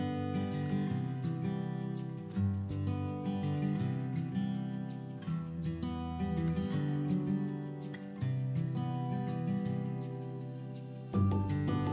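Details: Strummed acoustic guitar music with steady low chords throughout, and no animal voice heard.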